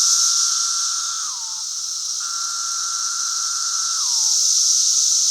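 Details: Brood V periodical cicadas calling on May 31, 2016: a shrill high chorus hiss plus a steady lower drone that twice ends in a downward-sliding slur, each drone lasting over a second.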